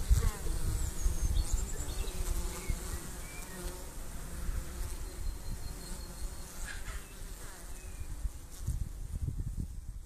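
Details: Buzzing of honey bees afflicted with chronic bee paralysis, a continuous low hum with layered harmonic drone over about ten seconds, pulsing unevenly, with dull low knocks and rumbling at the start and end.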